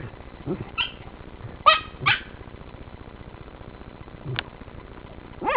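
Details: Working terriers confronting one of three raccoons in an underground sett: a few short, sharp barks spaced irregularly over a few seconds, muffled and distant-sounding against a low steady background hum.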